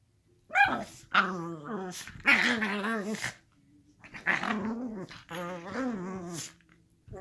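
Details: Rough-housing miniature schnauzers on a couch give repeated warbling growls, each lasting one to two seconds, wavering up and down in pitch, with brief quiet gaps between bouts.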